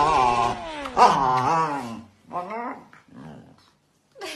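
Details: Siberian Husky refusing a kiss gives a wavering, falling growl-moan for about two seconds, then short softer grumbles and a brief sharp note at the end, in a small room.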